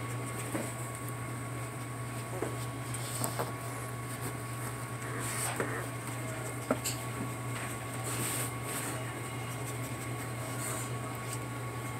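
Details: Constant low electrical hum in a small room with faint clicks and rustles, and no animal calls.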